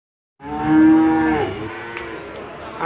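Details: Limousin calves at the Gondanglegi animal market, Malang, East Java, 12 February 2020: a single harmonic moo, steady then falling, lasting about a second, followed by faint market murmur.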